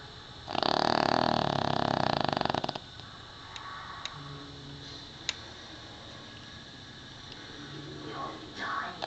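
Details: Snoot, a Pekingese dog, snoring very loud while asleep indoors: one long, harsh, rattling buzz lasting about two seconds, followed by quieter snuffling breaths and a rising snort at the end.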